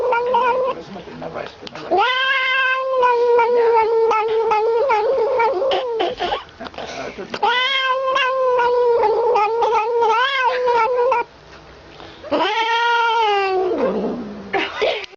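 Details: Cat vocalizing while drinking from a feeding bottle indoors: long drawn-out wavering wails, each held several seconds with a steady tone, three main stretches separated by brief pauses, the last ending in a falling slide.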